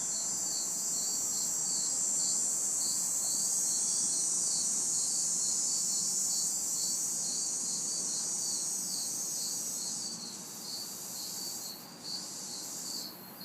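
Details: Crickets and cicadas in a city backyard on a hot, humid summer night fill the air with a steady high hiss and a regular pulsing chirp, with faint distant traffic behind.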